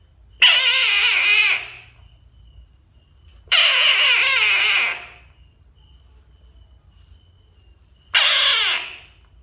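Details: Frog screaming three times, each cry a harsh, wide-band wail about a second long, separated by pauses of two to four seconds of near silence.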